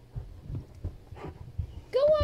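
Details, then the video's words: Weimaraner named Jackson, frustrated while stuck under a bed for 30 minutes indoors, gives one short high whine with a slight rise and fall near the end, after soft thumps and a person's coaxing voice. "Frustrated Weimaraner Stuck Under the Bed"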